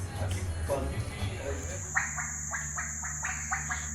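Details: Frogs calling at night at a hotel on Zanzibar, Tanzania: a series of short, evenly spaced croaks about every quarter second, over a steady high whine, with people talking in the first half.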